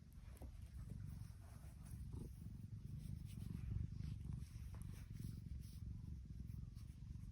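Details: Tiki, a happy female tuxedo cat, purring: a steady, low rumbling drone of fast, even pulses that runs through the whole stretch, with faint soft clicks above.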